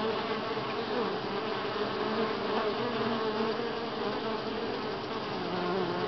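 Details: Continuous humming of many honey bees at Grass Lake Sanctuary, week six in July, an even, unbroken drone with a steady low pitch and no other sounds standing out.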